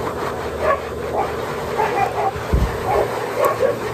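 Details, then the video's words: Husky giving a scattered run of short, high yips and thin whines over a steady low hum, with a dull thump partway through. "Husky big time blow out"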